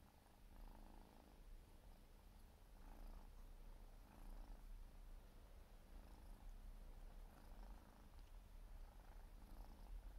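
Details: Four-month-old Siberian forest cat kitten purring while grooming indoors, a steady low rumble with soft licking pulses about once a second, swelling slightly in loudness midway.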